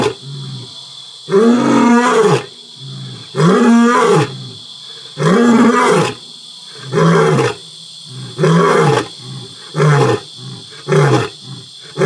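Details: Two pride males in Botswana's Selinda Reserve vocalizing dominance over their territory at nightfall; a closing run of about eight heavy, moaning grunts roughly every one to one and a half seconds, over a continuous insect chorus.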